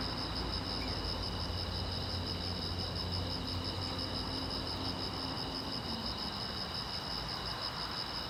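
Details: Night-time crickets on a quiet road keep up an unbroken, evenly beating high-pitched chirr, with a deep droning background hum underneath throughout.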